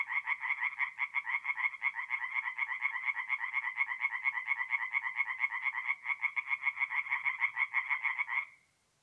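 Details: Rapid, rattling croaks from singing tree frogs at a forest pond by night, mid-April in north-east Italy, pulsing densely and loudly for over eight seconds with little pause before ending abruptly; nothing else audible.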